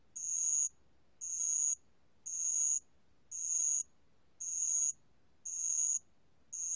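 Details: Ringing song of a bell cricket (알락방울벌레), recorded by the National Institute of Biological Resources in 2020: evenly spaced, bright high-pitched chirps of about half a second, seven in sequence, very regular, with little else audible.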